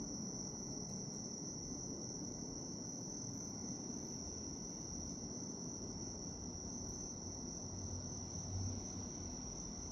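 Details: Continuous bright ringing of a bell cricket, heard as a relaxing insect-sound ambience; the high tone never pauses, over a soft low hum.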